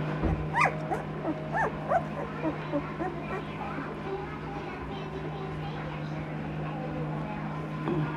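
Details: Two-week-old Noble Asian Bear puppies, an F1 hybrid of Asian Bear Dog and Caucasian Ovcharka, give a run of short, arched, high whines in the first seconds, then quieter whimpers over a steady low hum, with faint music.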